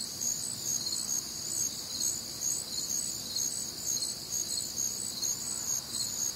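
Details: Crickets and other nocturnal insects on a warm, humid Midwestern summer night, a dense chorus of high pulsing chirps in stacked bands, beating steadily about twice a second with no other clear sounds.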